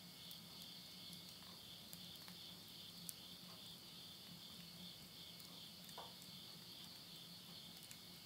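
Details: Insects calling at midnight in the Tottori countryside, Yurihama, Japan, September 2020, end of summer: a steady high pulsing trill runs throughout, with sharp crackles and pops from wood burning in a stove.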